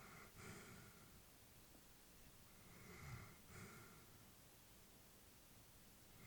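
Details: Peaceful sleeping breaths from an old Labrador bitch: two soft, airy breaths, the second with a slight snuffle, then a long quiet stretch of low room noise.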